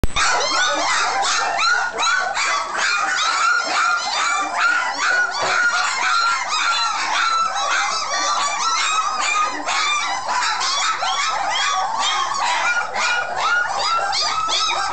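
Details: Several puppies in a freshly cleaned kennel with no pillow, after eating, give a constant overlapping chorus of high yips and whimpers, many short rising and falling cries tumbling over each other throughout.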